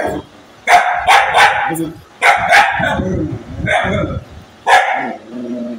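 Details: An angry dog gives four rough barking bursts roughly a second and a half apart, each a cluster of sharp yaps, with human voices murmuring between them.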